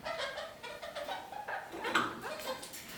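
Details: Kakariki, parakeets climbing on a ceiling, producing continuous nasal chattering with rapid stacked harmonic notes and a brief louder squeak near the middle, indoors.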